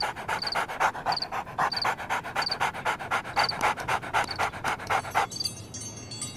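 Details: A dog pants in quick, steady rhythmic breaths, about four each second, each a breathy rush. The panting stops abruptly after about five seconds, leaving faint high tonal sounds in the background.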